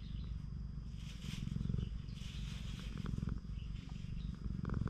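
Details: Stray cat on a cat island in Japan purring while being stroked by a man; steady low rumbling purr throughout, with faint rustling of handling and a few soft clicks.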